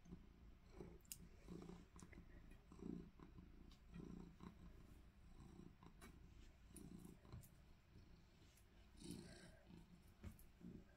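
A Maine Coon makes deep, pulsing purrs broken by brief low chirrups, repeated every second or so, reflecting a playful, happy mood. People laugh and talk quietly in the background.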